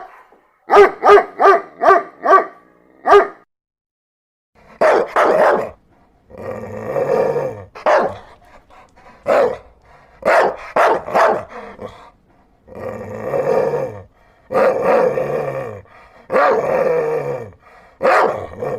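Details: Dog barking: a quick run of five sharp barks, a pause, then longer, rougher, harsher barks spaced irregularly about one second apart through to the end.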